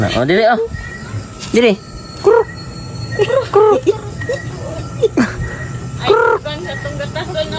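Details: Goats kept on a farm bleat in several short, arched, nasal calls spread across the stretch, each rising then falling, with people talking in between and in the background.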